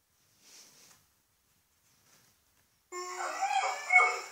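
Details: A female Miniature Pinscher, played a video meant to make dogs howl at home, breaks into a sudden high, wavering howl after a near-silent pause.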